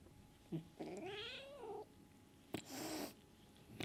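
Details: Kitten Sunshine, asserting she is boss over the other cats, lets out a drawn-out wavering harmonic yowl, then a sharp, breathy, noisy hiss about half a second long.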